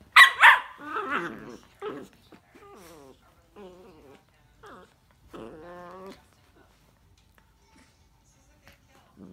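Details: Miniature Dachshund playing with another dog: two loud, sharp barks open, followed by whiny, growling yelps in short bursts that grow quieter, with gaps of near silence toward the end.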